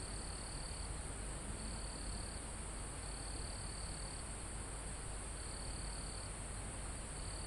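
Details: Live recording of crickets and insects in a mountain forest near the summit. A shrill, even drone persists while a lower trill sounds in repeated bursts of about one second. Calm wind on leaves gives a steady hiss.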